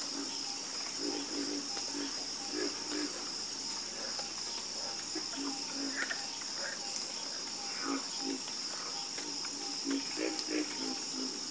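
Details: Frog croaking in chorus, with rapid series of short low croaks in uneven groups and occasional louder rasping notes, beneath a steady high-pitched insect-like hum.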